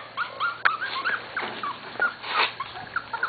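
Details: Corgi puppies almost seven weeks old, from two litters of the mothers Katie and Venus, giving a busy chorus of short high squeaks and whimpers, several overlapping, with quiet background hiss.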